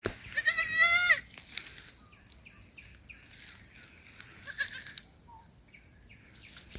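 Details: A baby goat that lost its mother, alone at night in a forest, gives one high, quavering, wavering bleat lasting under a second, followed by quiet forest background with faint scattered sounds.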